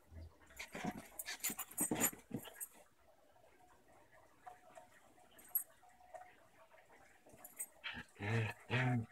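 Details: Playful tussle indoors between a new female German shepherd puppy and an adult Basenji pit bull mix; a flurry of scuffling and short vocal bursts early, a quieter stretch, then two low growl-like rumbles near the end.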